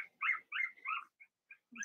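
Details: Cavalier King Charles Spaniel puppies, Blenheim colouring, six littermates born in March, kept in an indoor puppy pen while being potty trained; a rapid run of high, squealing whines, three strong ones followed by fainter short squeaks.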